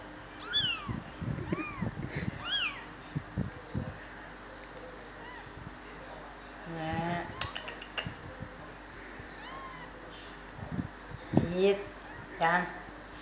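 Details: Three-day-old kittens giving high, thin mews, each rising then falling in pitch, clustered in the first seconds and then scattered among soft rustling, clicks and handling noises.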